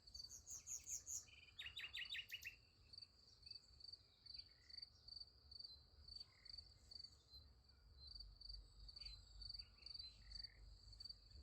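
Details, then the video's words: A continuous high cricket chirr at night beside a sunflower field, opening with a bright burst of bird notes and a rapid trill in the first two seconds, then quieter scattered chirps over the insect drone. "Relaxing Night in Nature Beside the Sunflower Field. Nice Sunflower Field with Crickets Sound Effect"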